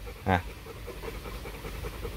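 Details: Male Rottweiler Bruno, a kennel stud in Hanoi, with his head wet from water. A brief voiced sound comes first, then a run of soft, regular panting breaths.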